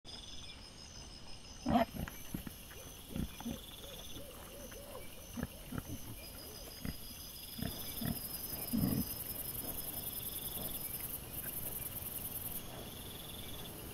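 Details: Wild boar piglets filmed by a trail camera on 25 September 2024 give scattered short, low grunts, two louder ones standing out, against a constant high-pitched background hiss.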